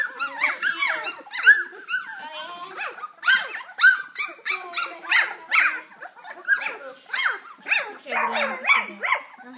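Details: Litter of kennel puppies playing together, October 2012, during socialization with children; nearly ten seconds of rapid shrill yaps, squeals and little growls from several pups overlapping, barely a break between bursts.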